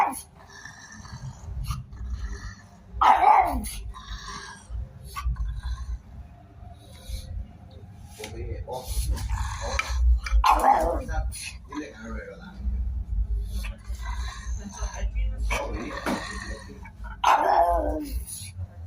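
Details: Dog giving three loud, harsh barks spaced roughly seven seconds apart, each dropping in pitch, over a steady low rumble with voices talking in the background.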